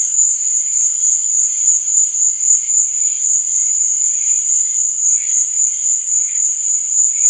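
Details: Crickets chirping at night in a sleep and relaxation nature soundscape: a steady, unbroken high-pitched trill runs throughout, with faint, soft wavering tones drifting underneath.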